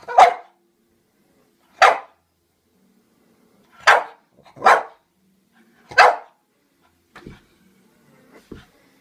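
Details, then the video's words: Frightened of a toy clown, French Bulldog Pluto barks in loud, abrupt bursts, about five strong barks spaced one to two seconds apart, including a quick double, with fainter trailing huffs near the end in a quiet room. "FRENCH BULLDOG THINKS TOY CLOWN IS ALIVE"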